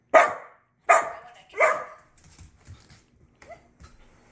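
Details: Pet Border Collie during a first button-training session, barking three times in quick succession, each bark harsh and loud, followed by faint soft whimpers and quiet background sounds.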